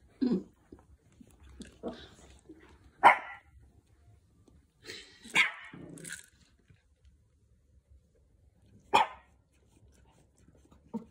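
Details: Two Pomeranians indoors, one seven months old, waiting for treats during a dice game: short scattered grunts and a few sharp barks, separated by quiet pauses, with light rattling noises.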